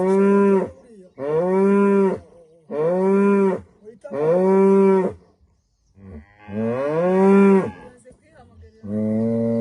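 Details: Morning moos of a female cow in rural Rwanda at sunrise: four short regular lows, then a longer wavering call rising and falling, and a deeper final moo.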